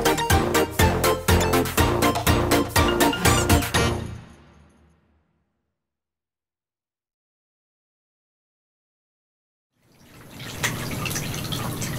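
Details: Rhythmic background music with clinks fades to silence, then a soft rustling room noise returns, with no animal voice.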